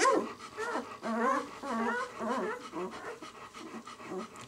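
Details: Newborn White German Shepherd pups, six days old, "of White Night" kennel B litter, making a steady stream of soft, wavering whimpers and grunting squeaks, several pups overlapping at moderate loudness.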